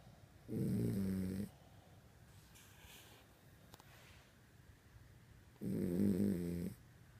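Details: Pet dog snoring while asleep at night, as it does every night; two low rattling snores about five seconds apart, each lasting roughly a second, with quiet breathing between.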